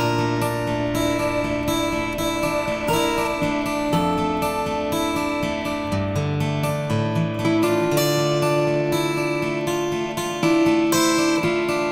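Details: Strummed and plucked acoustic guitar music plays throughout, with no animal sound.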